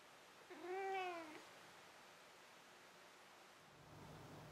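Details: Pet cat meowing before settling into sleep: a single clear, arched meow lasting under a second, followed by quiet room hiss and a low rumble toward the end.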